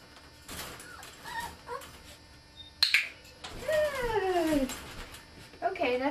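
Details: Border Terrier puppy aged ten weeks during clicker training. A person speaks briefly, then a loud whine slides steadily downward for about a second, followed by a shorter wavering whimper.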